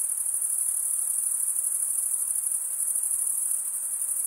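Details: A nighttime summer forest filled with cricket chirping: an unbroken high, thin trill with a rapid flutter, even in volume from start to end, with no background noise.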